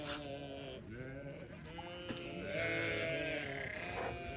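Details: Newborn lambs bleating in overlapping, wavering calls against a dense, noisy background, with one clearer sustained bleat in the second half.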